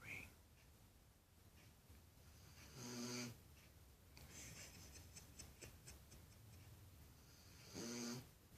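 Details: Dog snoring in its sleep, two rough, rattling snore breaths about five seconds apart with hissy upper tones, a soft rustle and faint ticking between them in a quiet room.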